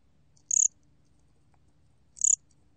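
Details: Gom-gwitturami cricket recorded in 2020: two clear, shrill chirps roughly 1.7 seconds apart, each a brief train of quick pulses, against a quiet low hum.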